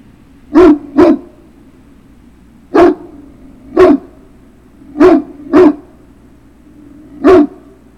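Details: Great Dane puppy barking in a run of seven sharp barks, some in quick pairs, spaced about a second apart over eight seconds, with a low steady hum underneath.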